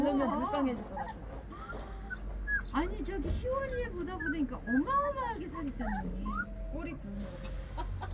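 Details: Jindo-mix mother Bomi with five puppies nearly a month old, sired by a Donggyeong-mix father, kept at a home. Rising and falling whistled whimpers repeat through the scene, over a woman's cooing voice and chatter.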